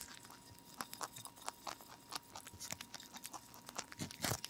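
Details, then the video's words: Lion head and Dutch mixed-breed rabbit ZZ eating broccoli indoors, steady rhythmic crunching and chewing several times a second, ending in a louder bite, over a faint constant hum. "BROCCOLIS and RABBIT / ASMR / MUKBANG / Eating Sounds"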